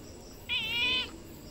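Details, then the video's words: One clear, drawn-out domestic cat meow, high and steady with a slight wavering, about half a second long over a quiet hum. "Cat noises only cats can hear"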